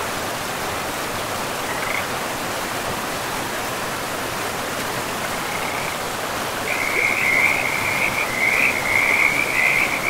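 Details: Frogs in a pristine forest beside a river; steady rushing water fills the first six seconds, then a rapid, rattling chorus of croaks swells and repeats continuously over the flowing river.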